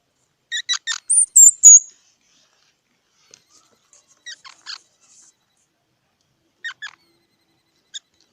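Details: Squirrel giving a short burst of sharp squeaky notes that climb into a thin high whistle, followed by scattered faint chips separated by long silences.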